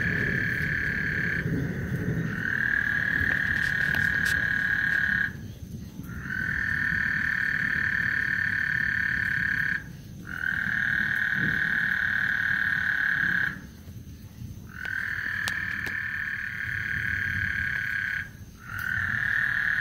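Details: Before a thunderstorm on Lake Houston, frogs sing in sustained high buzzy trills lasting several seconds each, separated by short pauses, four long bouts in a row over a soft low rumble.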